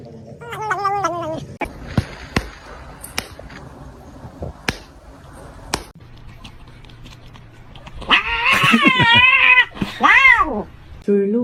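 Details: Kitten meows from a funny cat compilation: a wavering meow at the start, sharp clicks and taps through the middle, then a burst of loud, bending, strained meows and a final shorter call.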